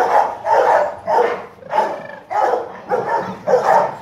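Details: Ten-month-old male Rottweiler weighing about 40 kg, kept at a breeding kennel, barking in a rapid series: about seven loud, rough barks in four seconds, each roughly half a second apart, with no other clear sounds.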